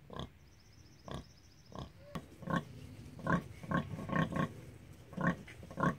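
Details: Rosie the Hereford sow with her piglets at mealtime: rhythmic low grunts, a few spaced then a faster cluster, with a sharp click and a brief high squeak early on.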